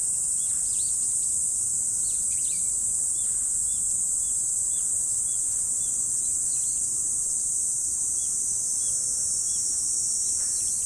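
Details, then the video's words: Morning chorus of autumn insects: a continuous shrill, even drone fills the whole stretch, while a bird adds short, repeated mid-pitched chirps several times a second in the background. "Morning Insect Sound Effect"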